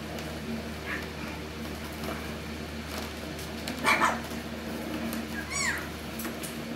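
Alaskan Klee Kai puppies give a brief yelp and a high, thin whine that rises and falls.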